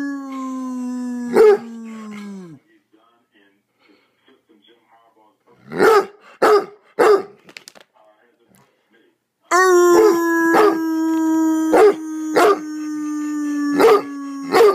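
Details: A hound named Roscoe giving bursts of loud barks, first singly, then in a quick group of three, then a steady run, while his owner holds a long sustained howl and speaks in between.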